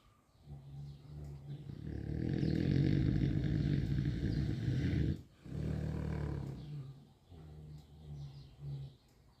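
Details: Mangalitsa gilts sleeping and snoring; deep rasping rhythmic snores swelling loud through the middle, a short break near five seconds, then steady rumbling breaths continuing low.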